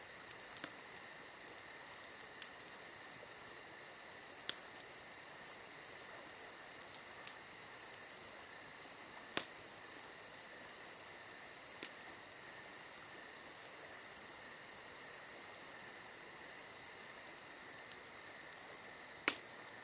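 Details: Crickets on a summer night hold a constant shrill trill with a fast pulsing chirp above it. Occasional crisp pops come from a crackling campfire.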